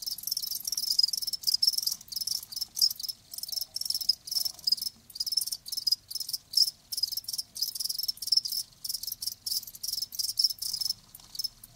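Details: Live crickets sounding a steady stream of shrill chirp bursts, each a short rapid trill, repeating with quick gaps throughout.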